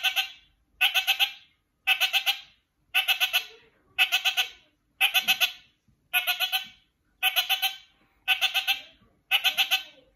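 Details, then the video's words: Kakariki call repeated steadily: quick chattering phrases of four to five harsh, bright notes, one burst roughly every second across ten bursts, with a quiet background. "Kakariki Bros. Lemon calls Pineapple"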